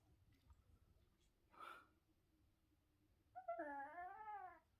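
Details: Pet Chihuahua grumbling in mild threat as its owner eats; a brief rustle comes first, then a single wavy, tonal growl-whine of roughly one second that bends up and down, with a woman's Turkish voice around it.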